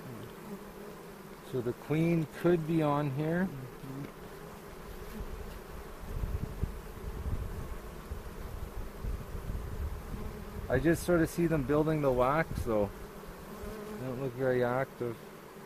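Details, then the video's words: Honey bees at a hobby beekeepers' bee yard in the foothills near Cochrane, recorded on April 27 during the second hive inspection of the 2018 season, while checking for queen cells and making a split. Wavering buzzy hums pass in bursts, separated by rustling handling noise. "Bee Hive Inspection"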